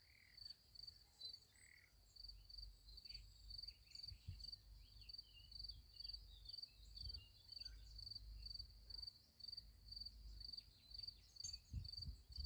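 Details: At night beside a sunflower field, crickets give an even, high-pitched pulsed chirp, roughly three pulses a second, throughout; faint short chirps from other callers and a low rumbling hum sit in the background.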